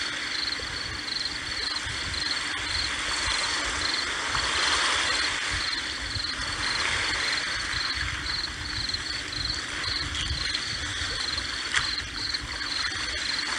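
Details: Cricket chirping over the steady wash of sea waves: short, high, even pulses repeat in rapid trains through the whole stretch, sitting above a broad roar of surf.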